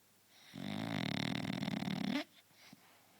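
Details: French Bulldog, a pet, snoring in a small room; a single loud, vibrating snore of about one and a half seconds, coarse and fluttering, followed by soft breathing.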